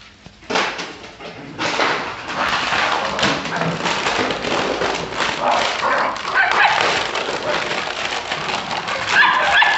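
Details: Jagdterrier dogs in Brazil give dense, rapid, overlapping barks and yelps in a continuous broadband clamour, with short harmonic yips breaking through near the end.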